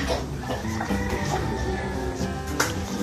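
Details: Loud instrumental music with sustained tones and a low pulse, with no animal voice heard.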